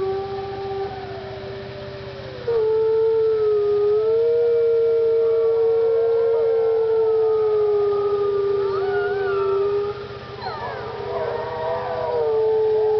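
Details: Howling wolves at Parc Oméga: one long, steady, low howl held almost level for about ten seconds, then higher, wavering howls from other wolves join in and rise and fall over it.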